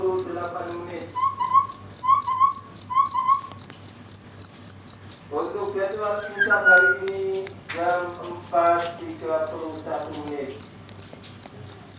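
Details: Cricket at night producing a regular series of shrill pulses, roughly four per second, heard over lower harmonic voice-like sounds and a few repeated tonal notes.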